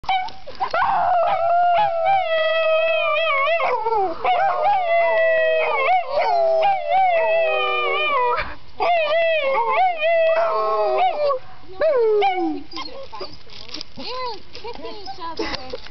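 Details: Household dogs in a howling match: several overlapping drawn-out howls that waver and bend up and down in pitch, nearly continuous, broken by brief gaps and a few short yelping notes.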